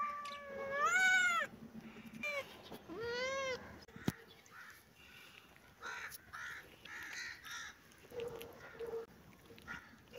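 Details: Kitten calls with two loud arching meows at the start, then fainter, softer mews and rustling noises in the rest of the clip.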